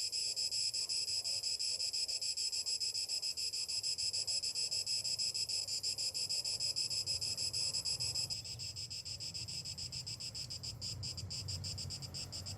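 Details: High, continuous buzzing of summer cicadas in the morning, pulsing rapidly and evenly; after about eight seconds the chorus thins and turns into sharper separate rasps while a low rumble of wind or traffic grows.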